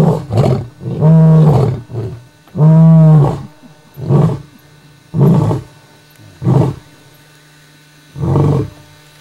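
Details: A coalition of five male lions roars at night under a full moon in Kruger Park, a deep bout of long moaning roars trailing off into shorter grunts.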